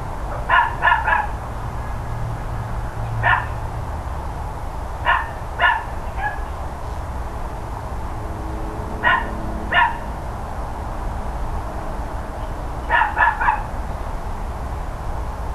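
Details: Barking from the neighbours' dogs around 10 AM on 13 October 2012: repeated bursts of two or three quick barks every couple of seconds, set against continuous low-frequency hum.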